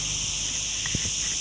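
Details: Crickets along a forest road near Ourtzagh and Ghafsai, Taounate province: a steady, shrill high-pitched insect drone fills the air without a break, with a couple of soft thuds partway through.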